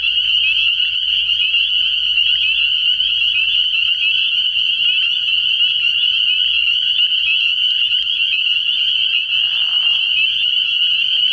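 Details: Night chorus of many spring peepers at an early-year frog pond: high, piercing peeps pour out without pause as one bright continuous band, with a brief lower sound near the end.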